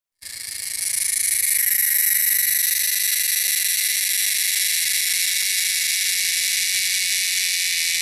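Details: Wild cicadas in the wilderness giving a loud, shrill, continuous buzzing drone that swells in over the first second and then holds steady and unbroken.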